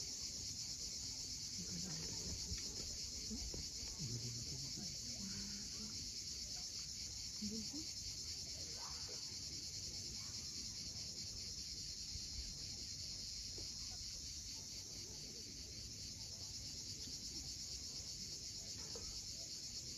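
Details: Cicadas at sunset on the steep coast of Cape Fiolent, Crimea: a continuous high, shimmering buzz with a faint pulsing texture, steady throughout, over low rumbling surf and faint murmuring sounds beneath.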